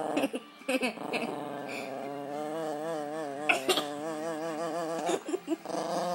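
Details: Pet dog growling while play fighting: a sustained, voiced, grumbling growl with a wavering pitch that rises and falls, broken by short sharp yips and breathy bursts near the end.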